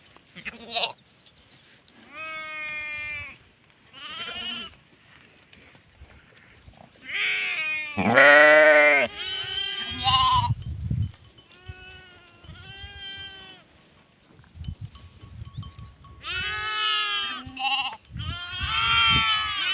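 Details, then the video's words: Sheep bleating over and over, several voices overlapping in wavering, vibrato baas. Some calls are short and high, others loud, drawn-out and hoarse, separated by brief pauses. "SHEEP SOUNDS FOR KIDS - Learn Baaing, Bleating, Yelling, Screaming and Meh Sound Effects of Sheep"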